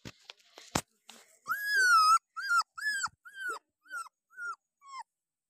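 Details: Puppy out on a walk giving a run of seven high, arched whimpering yelps about every half second, the first long and loud, later ones shorter and fainter, after a few soft clicks.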